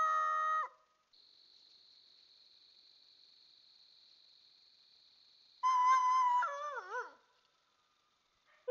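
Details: Coyote howling at night in woodland, picked up by a trail camera. A held howl ends abruptly, then a thin steady electronic whine runs for several seconds. Another howl follows, wavering and dropping in pitch as it fades.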